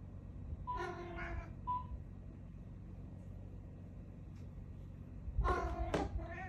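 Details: Keanu, a Siamese cat, meeting a new cat companion indoors: a few harmonic, wavering meows, one short and one drawn out, then a louder cluster of strained cries near the end over a low household rumble.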